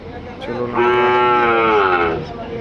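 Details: Large black cow for sale at a sunny cattle market in Bangladesh: one long, steady, tonal moo lasting about one and a half seconds, slightly falling at the end, with faint background chatter.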